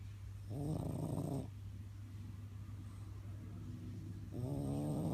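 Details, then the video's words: French bulldog snoring while asleep: two rough, buzzy snore bursts about a second long, at the start and end, with a quieter breathing stretch between and a steady low hum throughout. "french bulldog snoring"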